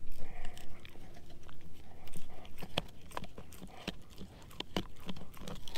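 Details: Edu, a German Shepherd mix, crunching on a dehydrated pig ear dog chew; continuous wet chewing with loud crisp cracks near the middle and end.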